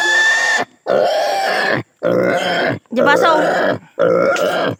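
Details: Castration of a native pig: four drawn-out harsh squeals, each close to a second long, with quick silent gaps between and a wavering, trembling note in the middle one.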